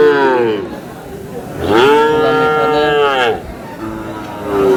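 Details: Sahiwal breed bull being bought by a farmer from Kurigram, Bangladesh, at a market on 5 May: one long, loud, level moo lasting about a second and a half, then a softer call, with market talk behind.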